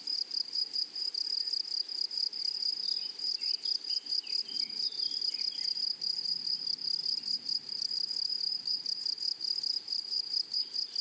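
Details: Meadow grasshoppers in flowery prairie grassland keep up a continuous high-pitched, sizzling chirr made of quick repeated pulses. Faint twittering birdsong drifts in the background.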